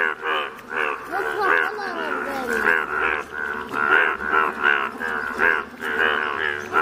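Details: Yellow Indian bullfrogs calling together in Odisha, India: a steady stream of throaty, nasal croaks, each a rich harmonic burst, pulsing several times a second with overlapping voices.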